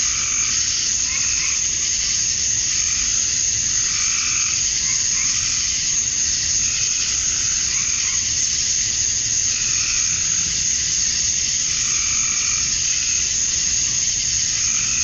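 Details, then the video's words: Male cicadas at dusk on a Georgia summer night, USA, singing to draw females: a continuous shrill wash of sound overlaid by repeated, softer croaking pulses that come in regular waves. "Cicadas at Dusk, Summer Night"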